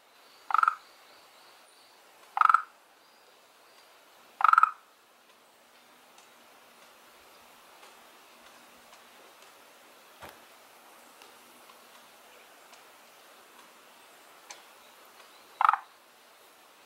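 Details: One of two unidentified frog species living in a garden pond gives short, abrupt croaks about every two seconds, then falls silent before calling again: frog.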